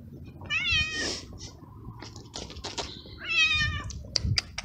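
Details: Stray kittens, a black one and a gray brother, outside in strong cold wind at feeding time, utter two clear, bright meows with a short clicking pause between them, backed by low gusty rumble.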